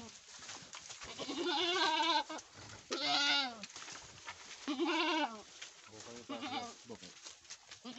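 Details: Boer goats on a Nepal farm after a first kidding that produced a male kid; four wavering, harmonic-rich bleats roughly a second long, each rising then falling, with quieter calls and faint voices between.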